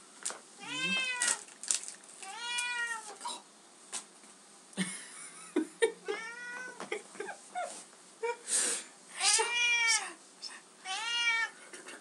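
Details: Bengal cat Asha, a pet indoors, eagerly receiving her favourite cat treats: a run of loud, drawn-out, wavering meows, roughly six in twelve seconds, each rising then falling, with brief clicks and a person's short remarks between them.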